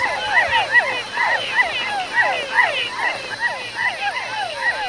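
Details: A dense night chorus of hundreds of different male frogs and toads calling to females at mating time in Ecuador's tropical forest, overlapping chirps and trills repeating rapidly.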